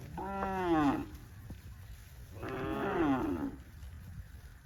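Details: Tame cows among dozens running happily through green grass rice fields on a cattle farm; two drawn-out harmonic moos about two seconds apart, each bending downward in pitch as it fades.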